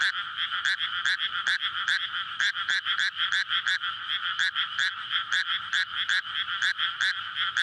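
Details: Nighttime May chorus of frogs in a water-filled paddy near homes and a road, calling to court before spawning; loud layered croaking with quick repeated clicks over a steady ringing hum, no other sounds clear.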